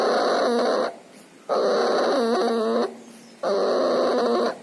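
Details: Sick puppy with pneumonia and distemper making loud breathing noises: three long rasping breaths with rattling, whistling wheezes, each lasting over a second, broken by brief near-silent gaps.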